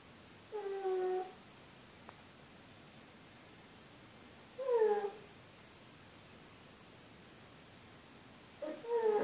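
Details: Amy, a female pug, snoring: three whistly, wheezing breaths with a tonal, slightly falling pitch, spaced about four seconds apart against a quiet background.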